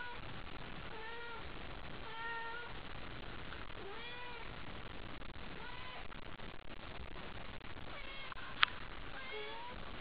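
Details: Worked up by a toy at night, the pet cat Haiko gives a run of arched, nasal meows at roughly one-second intervals, with one sharp click near the end over steady room noise.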